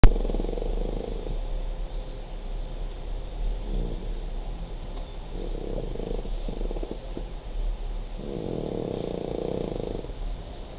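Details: A sleeping dog snores in low, raspy swells of breath every few seconds. The snores rise and fade over a steady background hum.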